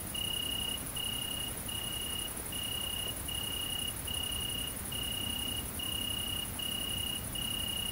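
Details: Great green bush-cricket (Tettigonia viridissima) during mating, recorded at night in countryside in central France on 22 August 2016: a continuous, very high, hissing buzz with a lower, pure short tone repeated roughly every 0.7 seconds.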